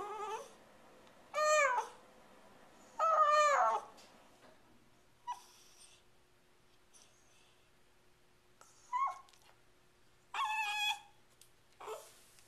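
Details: Female Shiba Inu indoors beside the fridge, filmed April 23, 2010, 'talking' to demand her dinner be hurried: high, wavering, whiny yodel-like vocalizations in about six separate bursts, some drawn out and rising, with quiet pauses between.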